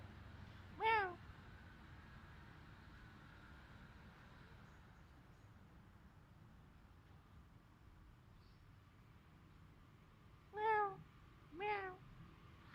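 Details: Cat in a Khmer village in Cambodia, filmed on a Samsung mobile phone: one clear harmonic meow near the start, then after a quiet stretch two more meows close together, with low background hum.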